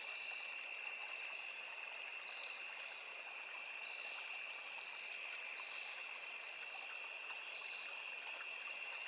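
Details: Insect chorus of crickets in forest by a small river: two sustained high ringing tones pulsing faintly in loudness, steady throughout, mixed with the constant wash of a stream.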